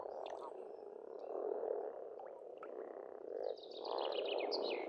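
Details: Pond frogs in an Estonian spring call as a massed croaking chorus that rises and falls in waves, with a rapid, high, chattering bird song joining in the last seconds.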